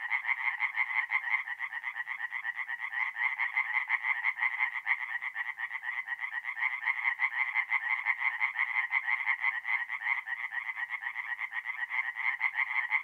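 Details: Mid-April night at a forest pond in north-east Italy: many tree frogs croak together in an unbroken, rattling chorus of rapid pulses, steady in loudness throughout.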